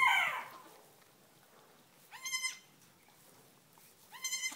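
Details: Nigerian Dwarf goat kids just born on a farm, less than five minutes old. A falling, breathy cry opens, and then come two separate high, wavering bleats about two seconds apart, each rising at its onset.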